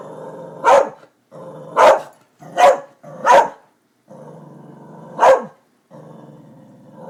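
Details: Darby the dog, going after construction workers, alternates steady low growling with single harsh barks, five barks spaced about a second apart and each broken off between growls.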